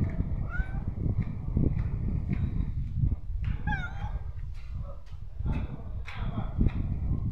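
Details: Stray street cat meowing: two clear, tonal meows that bend upward then fall, one near the start and a stronger one midway, over a steady low rumble of street noise and scattered clicks and clatter.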